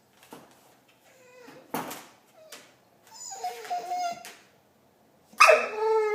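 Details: Marley, a pet dog, making Chewbacca-like noises indoors: scattered soft sounds, then a wavering harmonic groan midway and a louder, brief rising-falling moan at the end.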